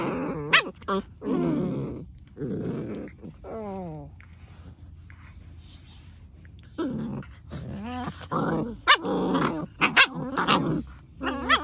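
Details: German Shepherds battling each other: harsh growls and snarls alternate with sharp rising yelps and whines, with a quieter stretch in the middle before loud bursts resume.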